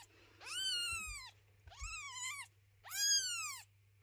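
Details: Mother cat moving her kittens and resisting the cleaning of their little house: three drawn-out meows, each arching up then sliding down, about a second apart, over a faint steady low hum.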